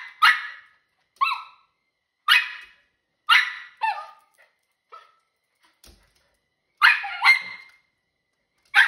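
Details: A female Miniature Schnauzer puppy barks angrily at birds in the backyard, sharp and high in bursts roughly every second, some barks sliding into short whiny howls; otherwise quiet.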